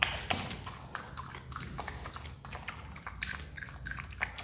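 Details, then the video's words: Captive Himalayan marmot, adopted and hand-raised, eating watermelon: quick irregular crunchy clicks and wet bites, several each second, over a low steady room hum. "awesome sound when marmot eats watermelon"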